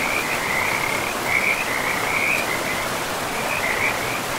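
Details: Frog by a river in a moss-covered, pristine forest: short bursts of high, rapid rattling trills, several in quick succession with brief pauses, over constant flowing water.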